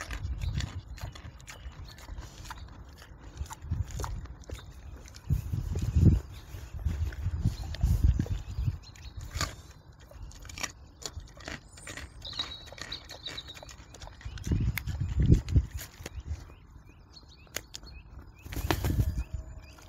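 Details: A wild boar eating a carrot chews noisily, with wet smacking and low, soft grunts in irregular bursts.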